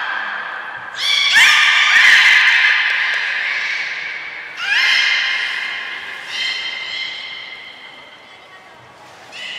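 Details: Beluga vocalising in an all-animal training session at Port of Nagoya Public Aquarium, 2 April 2023; long, strained, horse-like harmonic whines lasting over a second, three main bursts that weaken toward the end, with faint background murmur.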